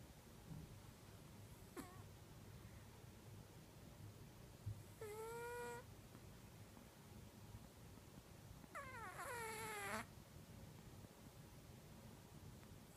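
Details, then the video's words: Sleeping domestic cat in deep sleep, recorded on an iPhone, gives two separate drawn-out whining cries, each sliding gently downward, about four seconds apart, with soft breathy noise and a faint click between them in a quiet room. "Snoring cat"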